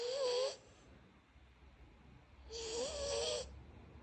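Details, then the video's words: Sleeping puppies snoring: two drawn-out wheezy breaths about two and a half seconds apart, each with a wavering whistled tone inside a breathy hiss, quiet room between. "Snoring Puppies"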